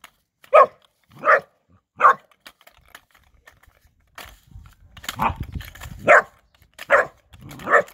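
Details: Bernese Mountain Dog puppy Erny, three months old, barks in two bursts: three clear, evenly spaced barks, a pause with faint rustling, then five more barks over low rumbling handling noise.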